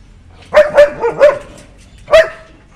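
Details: White German Shepherd puppies barking: four quick high yappy barks in a tight burst, a short pause, then one more sharp bark, in an otherwise quiet setting.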